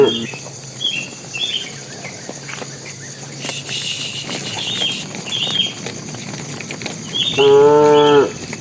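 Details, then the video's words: Tame cattle walking toward their pen, a bull calling to the cows: one short, loud, harmonic moo near the end, after scattered high bird chirps over a rustling outdoor background. "suara sapi jantan memanggil betina"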